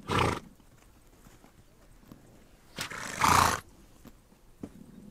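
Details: A horse in Mongolia's open steppe lets out two forceful, noisy snorts, one at the start and one after about three seconds, separated by near-quiet with faint clicks.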